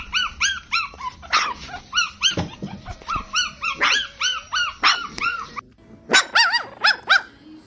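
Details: Newborn puppies suckling from their mother: a steady string of arched, squeaky whines about twice a second, ending in quicker, higher squeals.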